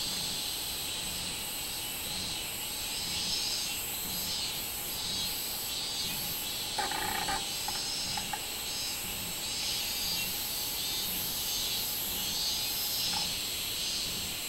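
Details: Robust cicada (minminzemi) singing on 24 July 2016: a dense, shrill high-pitched drone with slow pulsing swells, a faint steady mid tone underneath and a short burst of clicks near the middle.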